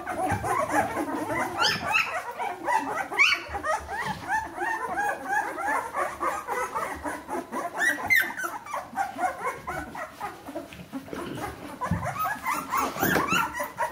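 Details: Litter of 14-day-old Bernese Mountain Dog puppies squeaking together: a dense, continuous chorus of high, thin whimpers and squeals, many short rising and falling cries overlapping with no pause.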